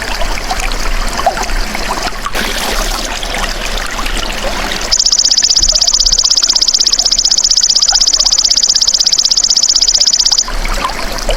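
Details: Natural sound of a golden grasshopper, used for training caged songbirds. Hissy, trickling ambient noise fills the first five seconds, then a bright, fast-pulsing high buzz holds for about five and a half seconds before cutting off.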